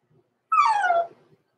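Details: Six-week-old blenheim Cavalier King Charles Spaniel puppy, Roman or Blue, born November 14, 2022, overnight in a puppy pen: one clear, slightly nasal whine sliding downward over about half a second, with bright overtones, in an otherwise quiet room.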